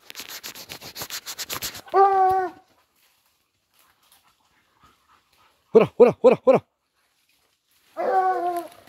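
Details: Dogs chasing a wild boar: a burst of rapid barks, then a harmonic yelping cry, silence, a quick run of four sharp barks, and a final whining yelp.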